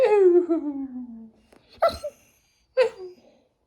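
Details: Pado, a Labrador Retriever, grumbles back at its owner during an indoor argument. A long, tonal moan slides steadily downward for over a second, followed by two short, clipped vocal bursts.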